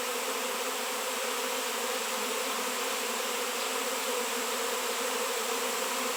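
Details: Swarm of honey bees massing around a raw 7 lb piece of shungite, where bees had not been seen for years; a dense, steady, unbroken droning hum with a low buzzy core, constant loudness throughout.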